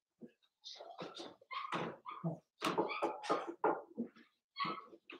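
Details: Daisy's Cavalier King Charles Spaniel puppies, four weeks old, whimpering and yelping in a pen, a dense run of squeaky overlapping cries with brief pauses and faint voices in a small room.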